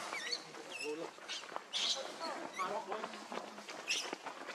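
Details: Baby monkey named Lucie, very hungry for milk, giving high, thin crying calls in short rising and falling tonal sweeps, repeated several times, with a murmur of other voices and rustling behind.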